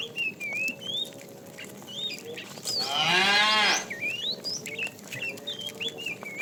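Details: In a herd of tame cows driven along in the afternoon, one short, fairly quiet moo lasting under a second rises above a busy chorus of chirping, whistling birds.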